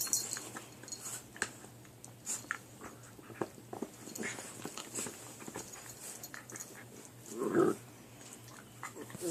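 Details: Two puppies fighting over who gets a chew: scattered clicking and chewing noises with small grunts, then a short louder whining growl near the end before more scuffling.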